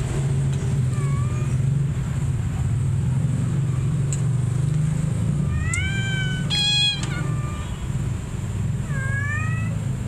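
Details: Domestic cat meowing to draw in other felines: a soft rising meow early, then a loud cluster of strong, drawn-out meows with rich harmonics, and a final upward-sliding meow, all over a steady low rumble.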